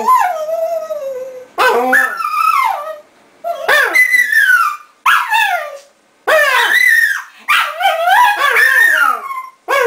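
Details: A dog named Bóris lets out expressive moaning howls, each sliding up and then down, several phrases of a second or two broken by short silences, like grumbling complaints.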